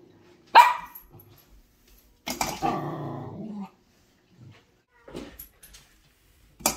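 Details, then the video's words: Female Shetland sheepdog puppy warning the household cats to keep away from her food at dinner time; one sharp bark, then a long rumbling growl-bark lasting over a second, a few soft noises, and a final abrupt sound. "Sheltie Puppy Warns The Cat Every Day At Dinner Time"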